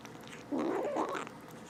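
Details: One of two rescued stray kittens gives a short, wavering, mewing grumble of under a second while eating, rising and falling in pitch over faint background clicks.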